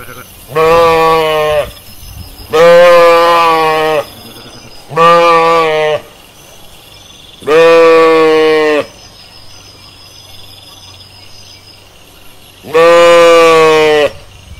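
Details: Sheep in a pasture bleating: five loud, harmonic, steady-pitched bleats of about one to one and a half seconds each, separated by quiet gaps of one to four seconds.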